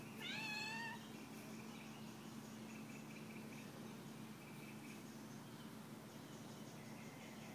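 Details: Family domestic cat meowing at a mother and her 3-month-old baby as they swing together indoors; one clear drawn-out meow, rising then falling, in the first second, then only quiet room hum and faint murmuring.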